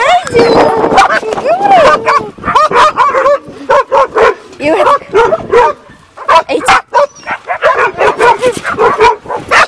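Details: Shira, a dog, greets with excited rising and falling whines and high yips packed closely together, broken by short barks, while a person speaks over the commotion.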